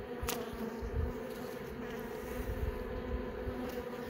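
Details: Continuous buzzing of honey bees inside an opened hive while young bees emerge from brood cells; dense low drone with stacked harmonics and one short click near the start.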